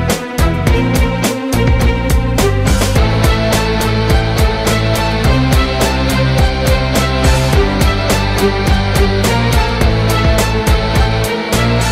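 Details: Loud driving rock music with guitar and drums throughout, and no animal sound.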